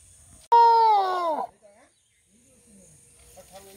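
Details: Rescued elephant calf, not accepted back by its herd after being found in Dudhianali forest near Kalimati in the Ghatgaon forest range, being sent to Nandankanan; one loud harmonic squeal of about a second, falling in pitch at its end, then faint crowd murmurs.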